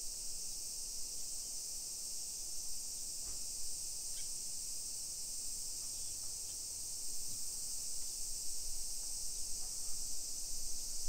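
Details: Cicadas droning in summer heat in a residential neighbourhood of Nisshin near Nagoya, Japan, at 1 PM in late July 2021: a steady piercing buzz with scattered faint clicks and distant low rumbles.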